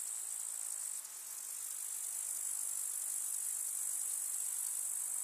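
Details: Grasshoppers in a village meadow in summer, amid wildflowers: an even, bright, high-pitched buzzing drone, briefly faltering after one second before continuing steadily.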